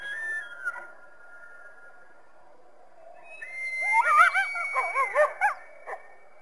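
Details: Coyote calling through the trees to a backyard on a winter day: a faint drawn-out tone at first, then a burst of quavering, wavering yips and short howls rising and falling over about two seconds before stopping.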